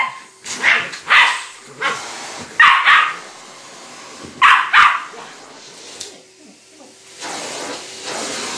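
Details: Bagels, a pet West Highland White Terrier, barks while reacting to a vacuum cleaner at home; sharp barks come singly and in quick pairs over several seconds, with a steady hiss running underneath and dying away toward the end.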